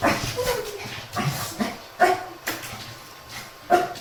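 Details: Shih Tzu from a multi-dog home grumbling on a morning walk with a mischievous Miniature Pinscher; soft, irregular short barks and whimpers, a few sharper yips near the end, over faint background music.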